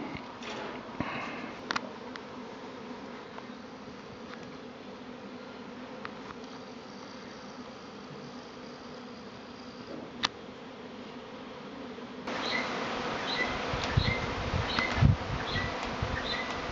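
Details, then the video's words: Swarming honey bees in Tasmania, arriving a week early around bee boxes left out by a beekeeper: a steady low droning hum fills the air. In the second half, brighter repeated bird chirps join in, with a few clicks and knocks. "Bee Swarm in Tasmania"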